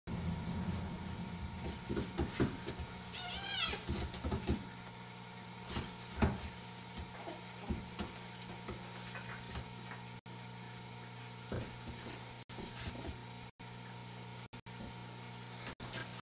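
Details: Kittens Gus and Kiko, two months old, indoors: one short, rising then falling meow near the start, with soft clicks, knocks and room hiss filling the rest, and a few abrupt dropouts later on.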